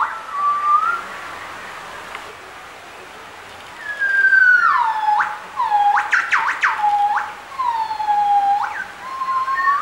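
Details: At Bioparc Fuengirola, a gibbon pair duets: a short whistle and a pause, then a long descending hoot, a quick run of steep rising-and-falling sweeps, and further gliding notes that drop and rise again.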